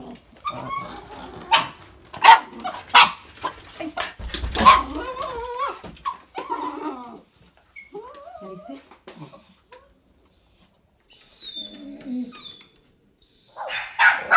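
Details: Two somewhat insecure Border Terriers bark indoors at people entering the house during on-lead door-manners training. A burst of sharp, irregular barks fills the first six seconds, then quieter high chirpy squeaks and a final bark.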